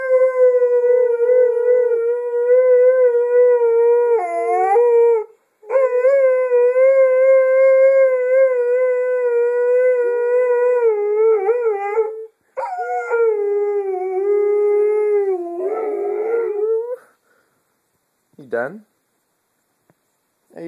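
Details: Female pet dog that only howls and never barks, reaching high notes: long sustained tonal howls with wavering pitch, broken by short pauses, ending in brief sliding yelps.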